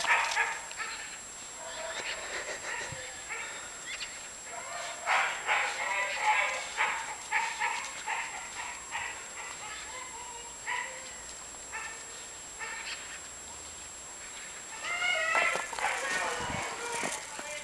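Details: A three-year-old Dachshund playing outdoors in snow gives quick, high yipping barks in bursts, loudest around five to seven seconds and again near fifteen seconds, with a person's voice and a steady high electronic whine in the background.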